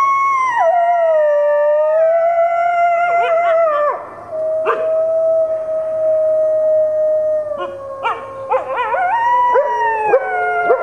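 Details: Four captive red wolves, including two 9-month-old pups, howl together at a wolf conservation center in South Salem, NY, joined by an Arctic gray wolf and Mexican gray wolves; long, wavering tones overlap and slide between pitches.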